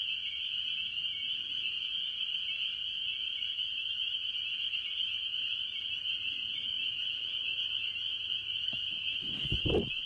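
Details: Chorus of mostly spring peepers among various tree frogs at a farm pond early in the year: continuous shrill high peeping blending into one ringing wall of sound, with a brief low knock and rustle near the end.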